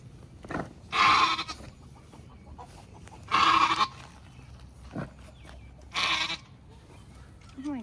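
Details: Maggie, a Nigerian Dwarf dairy doe in Northern California, giving birth to twins for the first time: three loud, harsh, drawn-out bleats about every two and a half seconds, with a woman speaking softly between them.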